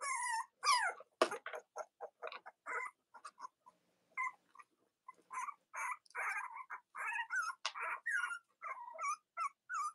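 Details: Cavalier King Charles Spaniel puppies of Robin and Myra, indoors in the US on a chilly Monday morning, chatter in quick, overlapping high squeaks and short whines with scattered clicks.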